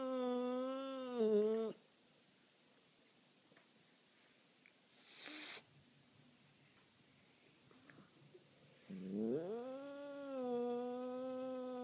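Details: Bengal cat (Felis catus), meow.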